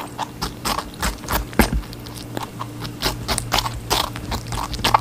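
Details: A rabbit munches on watermelon: scattered crisp bites and wet scraping chews, irregular and close, with a constant low hum beneath.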